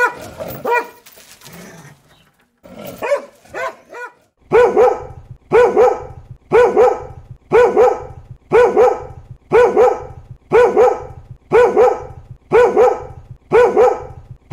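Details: Dog barks from a compilation of barking footage, first scattered and uneven, then settling into steady double barks repeated about once a second.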